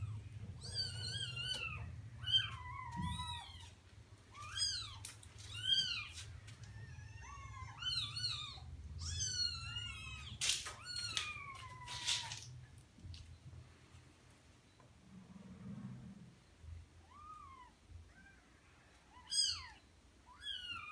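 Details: Persian cat with four newborn kittens, indoors in a small room: a run of thin, high mewing calls, each rising then falling, crowded through the first twelve seconds, then a few scattered mews over a low steady hum.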